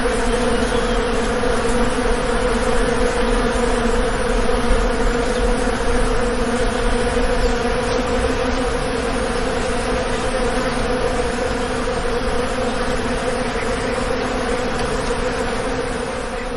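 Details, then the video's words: Real bee buzzing recorded outdoors in nature: a loud, continuous, low droning hum from many wings, thick and rough, with a constant hiss of background noise and no clear pauses throughout. "Real Bee Buzz Sound"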